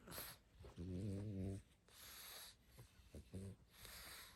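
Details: Sleeping pug snoring: a rattling, buzzy inhaled snore lasting almost a second, then softer airy breaths and a shorter second snore, indoors and otherwise quiet.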